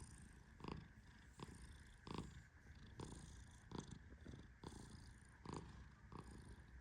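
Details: Male Persian cat sleeping deeply while gently petted, giving a steady low rumbling snore, with soft brushing rustles from the petting hand recurring roughly every three-quarters of a second.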